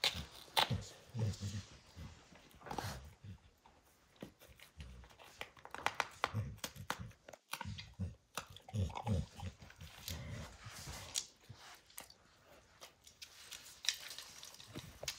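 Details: Max the dog tears into the leather hide of a baseball, his focused chewing making sharp crunches and clicks in bursts, broken by soft low thuds and brief quiet gaps.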